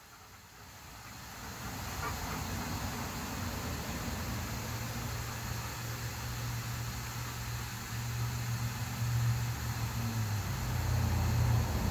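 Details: Steady low vehicle rumble, like a car or engine running, slowly growing louder over twelve seconds, with a broad hiss above and no animal voice.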